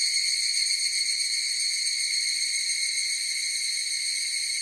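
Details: Higurashi, the evening cicada, in chorus: an even, piercing high-pitched whine of layered tones with a faint rapid flutter, steady from start to finish, without birds, wind or voices.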